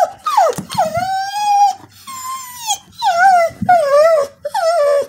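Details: A female Border Collie sings in long, wavering howled notes that slide down and rise again in mournful phrases, for no known reason.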